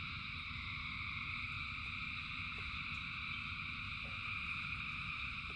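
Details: Massed frogs calling during rain, an unbroken layered trilling in several pitch bands, backed by a deep steady rain rumble and a few crisp tapping drops.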